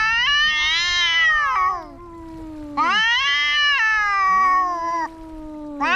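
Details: Cats fighting: loud drawn-out caterwauling yowls, rising then sagging, two overlapping voices, one long wail answered by a lower moaning growl, bursts about every three seconds, no other sounds.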